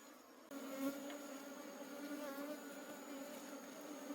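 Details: Wild forest honey bee colony disturbed during honey harvesting, buzzing in a dense, steady drone with clear stacked overtones that waver slightly in pitch, after a brief quieter opening.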